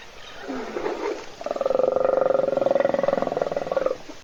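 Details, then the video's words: Wild African hippopotamus sleeping in a puddle at a webcam-monitored South African waterhole, animals waiting for it to wake. After short groaning sounds, a loud, steady, rattling pulsed snore holds for about two and a half seconds before fading. "Бегемот Hippo храпит в луже"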